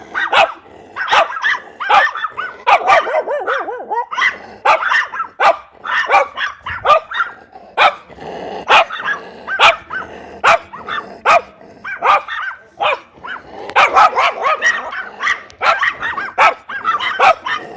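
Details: Many dogs barking at once, breeds such as Labrador retriever, shih tzu, rottweiler and German shepherd; rapid sharp barks overlapping continuously, a few yelping tones, loud and relentless throughout.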